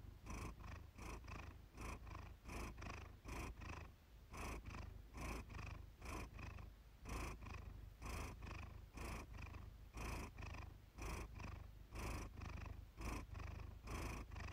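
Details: Evening recording of the cat Iris purring, made for relaxation. A continuous low, throaty vibration pulses in quick, even waves of inhalation and exhalation throughout, with no other sounds.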